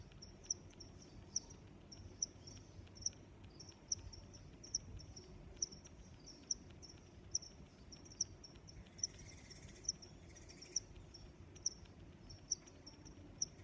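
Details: Steady cricket chirping, sharp high pulses about once a second throughout, with a brief softer higher-pitched rustle or call near the middle and a low background rumble.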